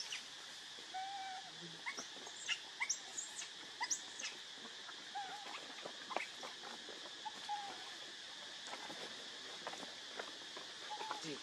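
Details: Hungry baby monkey Leo begging its mother for milk, giving short, high, slightly bent whimpering coos every second or two amid a steady hiss, clicks and handling noises.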